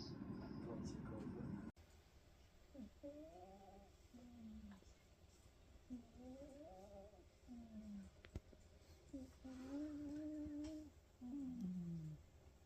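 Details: Sleeping Ragamuffin cat snoring: low, tonal, wavering breaths with a nasal hum, short falling exhales paired with longer rising inhales, repeating about every three seconds after a brief burst of noise at the start.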